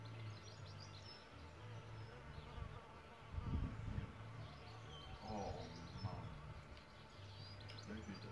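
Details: Solitary bees nesting in a bug hotel give a deep, even droning buzz, with a louder pass near the middle as one flies close; soft bird calls sound faintly above.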